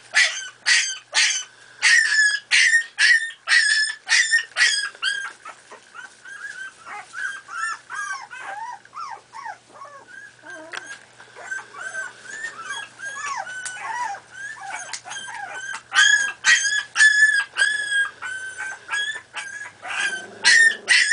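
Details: Miniature Pinscher puppies, four and a half weeks old, playing: rapid high yips about twice a second open, softening into a jumble of whimpers and squeals midway, then loud yipping bursts return before a low growl at the end.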